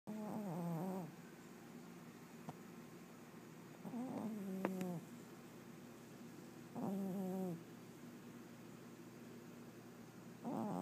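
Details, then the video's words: A 21-year-old domestic cat napping indoors, snoring softly in low, rough, harmonic bursts about every three seconds, each lasting under a second, with quiet pauses between them. "Whiskers Snoring"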